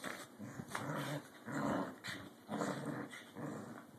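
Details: Two corgis in rough play, vying for dominance, indoors: throaty growls come in bursts about once a second, each lasting roughly half a second, separated by short pauses.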